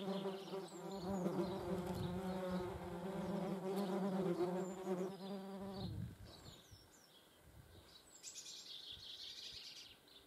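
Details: Wing hum of German wasps visiting a feeding place: a loud, even, low buzz with layered overtones holds for about six seconds, then cuts off, leaving quiet background with faint high chirps.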